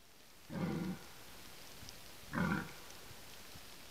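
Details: Red deer in a forest during the rut: two short, hoarse, low grunts about two seconds apart, each under half a second, heard through a hissing background.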